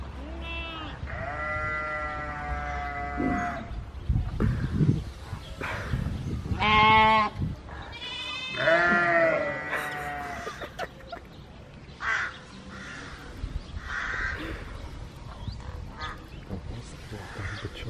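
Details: Domestic goat screaming like a human: a few quavering, drawn-out bleats spaced several seconds apart, with shorter bleats later and a steady background of voices and farmyard noise.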